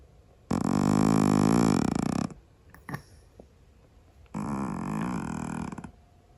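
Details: Noisy snoring from a sleeping Scottish Fold cat indoors: two long, rattling, buzzy breaths, each about one and a half seconds, separated by a short, quiet pause with faint soft clicks.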